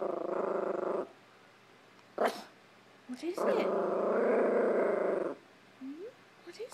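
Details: A Chihuahua in a living room gives long, rumbling growls broken by a few sharp barks at a hamper of clothes, with a person speaking briefly.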